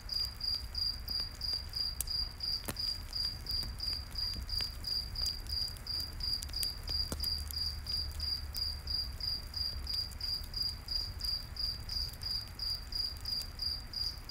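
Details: Cricket calling at night in a forest, its shrill chirps evenly spaced at about three per second, backed by scattered campfire crackles and a low steady rumble.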